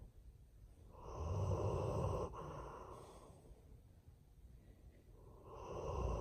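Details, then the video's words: Old German Shepherd named Ernest snoring in his sleep: low, rough rumbling breaths rise into a loud drawn-out snore of over a second, then soft breathing, then another snore building at the end. "Old German Shepherd Ernest Snores While Sleeping"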